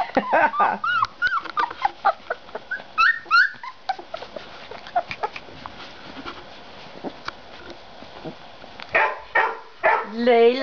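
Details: Puppy yipping and whining in short, high, upward-bending bursts over the first few seconds, then quieter scuffling, before a person starts speaking near the end.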